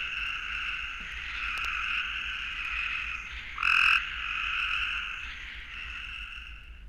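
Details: A southern gray treefrog in Florida, identified as Cope's gray treefrog, gives its mating call: a simple, steady, buzzy trill held without a break.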